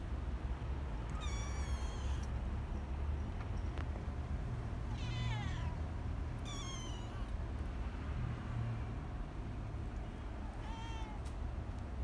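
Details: Young kittens mewing at intervals: four short high meows spread across the recording, several sliding downward at the end, with a continuous low droning hum underneath throughout.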